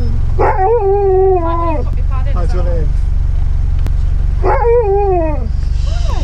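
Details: Siberian Husky howling his order to staff at a drive-thru: two drawn-out, wavering howls that slide downward, with shorter yowls between them, over a steady low hum from an idling vehicle.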